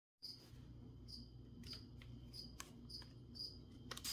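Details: Cricket chirping during plant spraying, short high-pitched chirps repeating steadily about every half second to second, with sharp taps and clicks in between and a low steady hum underneath.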